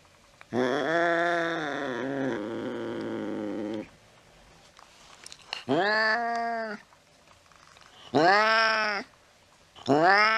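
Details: Late-night cat on a mouse chase gives a long bending wail, then three separate arched meows about two seconds apart, each rising and then falling, with quiet room tone between them.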